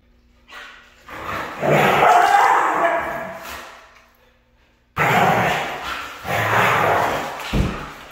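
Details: Female Siberian Husky with a red coat giving drawn-out, wavering vocal calls, a swelling moaning note after a quiet start, a near-silent pause, then another long bout with a sharp thump near the end.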